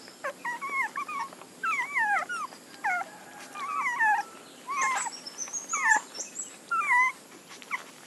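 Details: Puppies whimpering in short, high, wavering whines that bend up and down, about eight separate cries across the stretch with brief quiet gaps and faint clicks in between.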